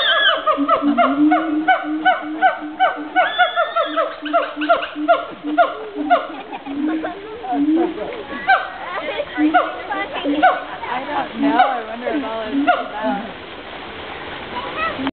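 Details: Siamangs at Woodland Park Zoo call loudly in a dense chorus of honking barks and short swooping hoots, repeated in quick succession, overlapping and rising and falling in pitch without a break.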